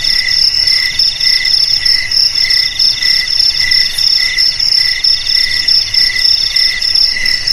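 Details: Cricket chorus played to drive away rats: steady high chirping with bright pulsed trills repeating about every half second, layered over a continuous shrill drone, no other sounds.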